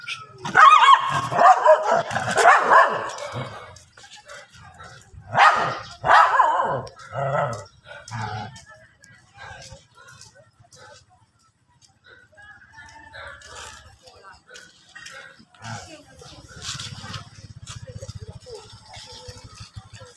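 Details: Dogs fighting outdoors on grass, sharp barks and yips tumbling together in a loud burst for the first seven seconds, then scattered quieter barks with stretches of near silence and low background rumble.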